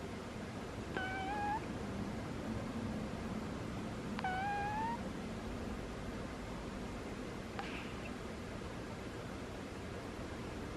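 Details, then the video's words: Squeaky snoring from Butters, a sleeping cat: two short whistled, upward-bending squeaks about three seconds apart, then a fainter click-like sound, with steady indoor background hum throughout. "Cat snores are squeaky"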